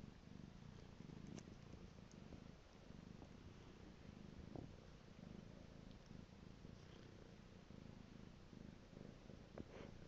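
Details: Piko, a domestic cat, purrs continuously in a quiet room: a deep, grainy vibration with gentle rise-and-fall cycles roughly every second, plus a few small clicks.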